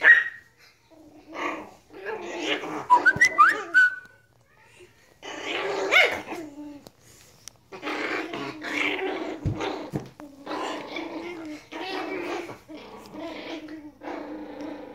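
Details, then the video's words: Chihuahua puppies at play, giving short squeaky yips and rough little growling bursts in uneven clusters, with a brief high whine near the start and quiet gaps between bouts. "Chihuahua Puppies playing"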